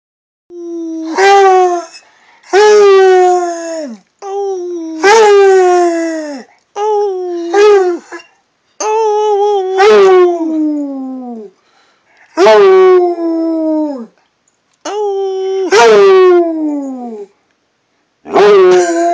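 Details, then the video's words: Redbone Coonhound indoors giving a series of rich, wavering howls, each lasting one to two seconds and sliding downward at the end, repeated with short silent gaps roughly every two to three seconds. "My red bone hound howling"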